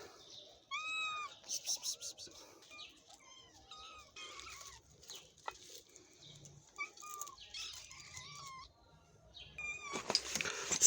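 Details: Domestic cats, a mother and her kitten, on the day the kitten has recovered; thin, high meows with arching pitch, repeated in short bursts and separated by pauses, with clatter and handling noise in between.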